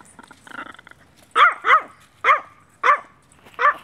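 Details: A one-year-old female Maltese, a social dog up for adoption in Brooksville, Florida, gives five sharp, high barks at an even pace after a short patch of soft scuffling noise.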